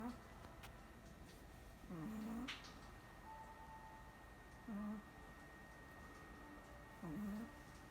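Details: Sleeping Chihuahua snoring indoors: soft, low, whistle-like snores with a slight downward bend, one every two to three seconds, three in all, over a faint steady room hum.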